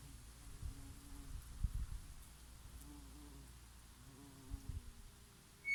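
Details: Honey bees foraging on oregano flowers in summer: a low, wavering hum that swells and fades as insects pass close, with soft breeze noise and a few faint clicks behind it.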